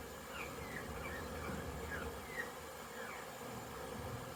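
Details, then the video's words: Many honey bees zipping around a crowded hive during orientation flights on 22 September 2022; a continuous low droning hum of massed wings, with a few faint short chirps from elsewhere. "Orientation flights busy Bees"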